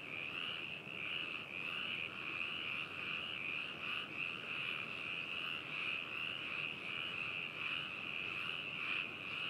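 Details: Frog chorus at Hakushu in Yamanashi Prefecture, Japan, captured binaurally on 4 May 2018; steady overlapping croaking trills with rhythmic pulses roughly every second, a thick wall of calls from many frogs.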